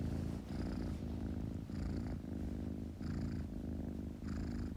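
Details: Kitten purring steadily indoors, a low continuous rumble that swells with each breath, breathing cycles roughly every second with soft airy hiss on each inhale.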